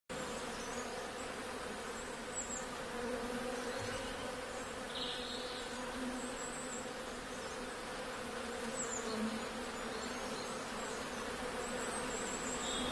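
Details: Honey bees buzzing in a steady, dense drone that holds unbroken throughout, with a low hum underneath and a few faint higher ticks.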